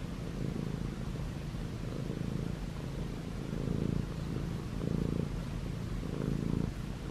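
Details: Young male Munchkin cat, white and gray, purring as it kneads pajamas; continuous low rumble swelling louder on each breath cycle, a few seconds apart.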